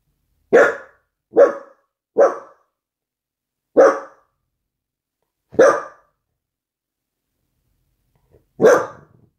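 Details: Pet dachshund puppy that wanted to play ball before dozing off in a cat-like loaf pose; six short, sharp barks at uneven intervals over nine seconds, each abrupt and quickly fading, against near silence.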